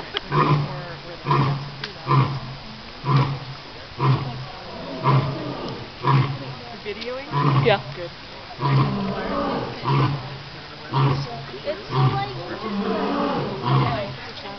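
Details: The alpha male African lion (Panthera leo) at Calgary Zoo roars at the crowd in a series of deep, throaty grunts repeated about once a second.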